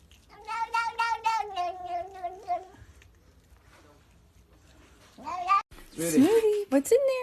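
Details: A domestic cat lets out a sustained, even meow lasting over two seconds, followed by a quiet pause. Shorter, sharper cries and noise come near the end.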